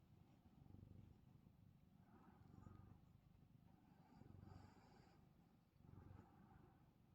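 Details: Male house cat purring as his chin is scratched while he is sleepy and trying to nap; a low continuous rumble rises and falls in slow waves, roughly one swell every two seconds, with faint soft rustling.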